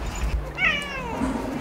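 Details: One of a family of pet cats giving its morning greeting, a single bright meow that starts high and sinks gradually, with light music playing softly behind it.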